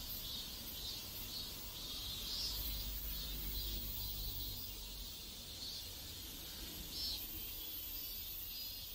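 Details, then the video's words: Cicadas singing in a neighborhood in South Korea: a dense, high shrill buzz with pulsing swells roughly twice a second, over steady low background rumble. "South Korean Neighborhood Sounds Cicadas"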